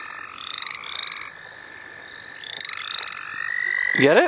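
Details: Overlapping frog trills and fast rhythmic pulsed calls from the St. Olaf College Natural Lands, recorded while frogs were caught for fun. A person's voice cuts in at the very end.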